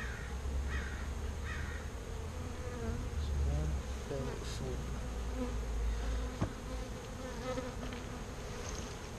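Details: Active bees in a birdhouse, about to be moved into a bee box, fill the air with a continuous low hum; a human voice speaks briefly near the start, and a low rumble runs underneath.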